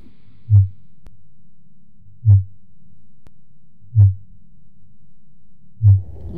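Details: Fin whale, a baleen whale singing, recorded underwater by hydrophone: deep, short low pulses repeated about every 1.8 seconds in a steady series over a quiet low hum.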